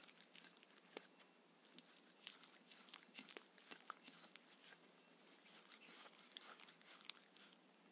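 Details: Mindy, a Shetland Sheepdog, eats her evening dinner of raw kangaroo food with coconut oil indoors; irregular crunching and biting clicks come in quick bursts, soft and close, with no talking.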